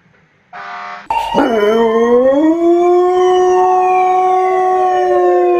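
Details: German Shorthaired Pointer after a brief noise launching into a howl that swoops upward, then holds a loud, steady, siren-like tone to the end.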